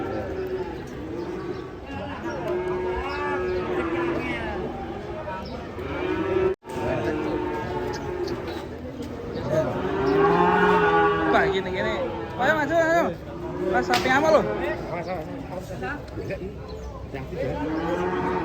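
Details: During unloading from a truck, cattle give repeated, wavering moos rising and falling in pitch, heard under a busy layer of human shouting and chatter.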